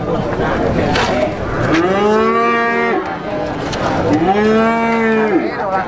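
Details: Two clear, nasal moos about a second long each, separated by a short pause, from six-month-old Pegon calves at Plaosan cattle market, Magetan. Each bends up at the start and drops off at the end against a busy crowd.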